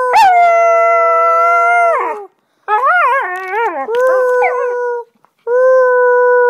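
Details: Domestic Husky howling in song on 25 November 2010, prompted by a person's sounds: a long level howl lasting two seconds, then a quavering wobbling phrase, another steady howl, pause, and a final held note.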